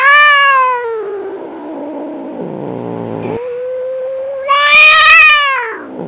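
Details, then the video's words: Cats fighting, a loud drawn-out yowling wail that sags into a low growl, then rises again into a harsh, strident howl, clean with no other sounds. "SUARA KUCING BERANTEM"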